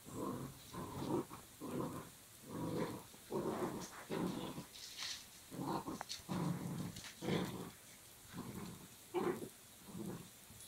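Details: Belgian Malinois puppy playing tug with a rope, growling in repeated rough bursts of about a second each, separated by short pauses, with scuffling between them.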